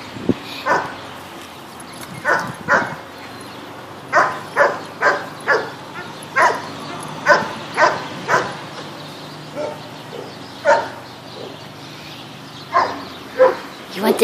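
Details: Playful barking from Patrick, a Bichon Frise poodle awaiting adoption at the Animal Compassion Team Sophia adoption center: short, bright barks in loose bursts of two to four, repeated through the whole stretch, with brief speech nearby.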